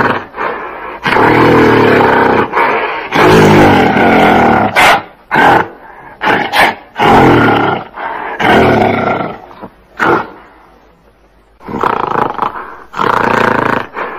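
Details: A gorilla roars and screams in harsh, drawn-out bursts of a second or two, separated by short sharp barks and quieter pauses.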